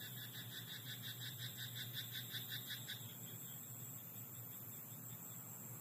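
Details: Frog croaking at night in a rice paddy: a fast run of rapid, evenly pulsed rattling croaks lasting about three seconds, then stopping, over a steady high-pitched hiss and a faint low hum.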